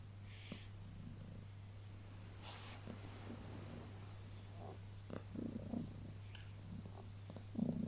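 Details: Early morning cuddles with a domestic cat: a low, continuous purr with gentle rumbling swells near the end and light rustling of covers.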